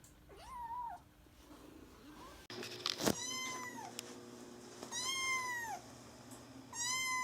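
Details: Kitten Mame Daifuku, a pet cat, meowing indoors: a faint meow at first, then after a clunk come three louder, clear, arched meows that rise and fall, spaced about two seconds apart, with a steady low hum behind.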